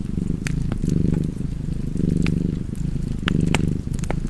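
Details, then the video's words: Short stretch of a cat purring loudly, a low buzzing rumble in breath-length surges, with quick bright crackles from fireplace logs. "Cozy Purring Cat ASMR / Kedi Mırlaması"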